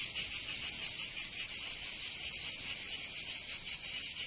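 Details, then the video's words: High buzzing song of cicadas on a summer day in Provence, in the south of France, its pulses slower and more uneven here, swelling and fading in a rough rhythm. "Canto Cigarra 🦗 [ Escuchar les cigarras en verano 10 H]"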